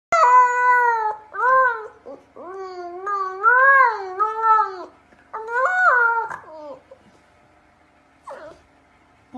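A Husky puppy gives a series of short, wavering, yodel-like howls that rise and fall in pitch.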